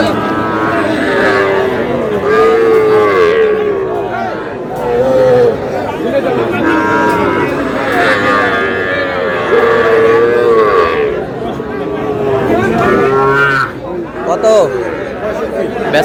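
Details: Sahiwal bull calves being bought and sold at Aftabganj market in Dinajpur, 11 July: scattered moos of moderate length rise above constant crowd chatter and shouting throughout a busy market scene.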